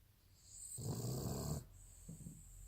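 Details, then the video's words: Jack, a sleeping Cavalier King Charles Spaniel, recorded in May 2018, gives one deep rumbling snore with a hissing breath, then a softer, fainter follow-up. "Cavalier King Charles....JACK le ronfleur"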